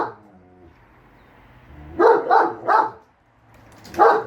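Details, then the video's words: Household pair, German Shepherd Enzo and Siberian Husky Shira, quarrelling over whether the lawn mower is evil: a low engine hum, then three quick gruff barks and a single louder bark after a short silence. "GSD & Husky Arguing Whether The Lawn Mower Is Evil Or Not"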